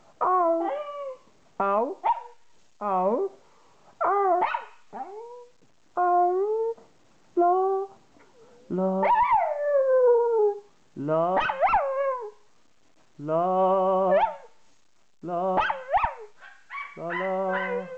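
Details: Female pet dog, a Jack Russell Terrier crossed with a Yorkshire Terrier, sings along with her owner. Short yowls rise and fall in quick bursts, some drawn into longer wavering howls, with brief pauses between, over faint human voice.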